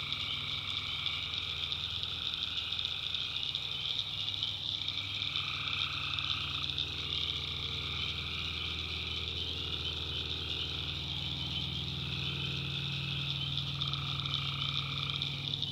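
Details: Many tree frogs calling at night in a North Carolina backwoods swamp: a constant high trilling wall of sound, broken by lower drawn-out notes of one to two seconds every few seconds, over a low rumbling pulse.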